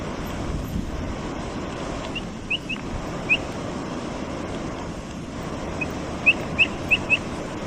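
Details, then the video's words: Brazilian capybara eating and making noise: short high rising chirps, a pair near the start, then a run of four quick ones near the end, over steady broadband wind and rumbling background noise. "Som da CAPIVARA. Capivara piando? O pio da capivara brasileira. Capivara comendo e fazendo barulho.."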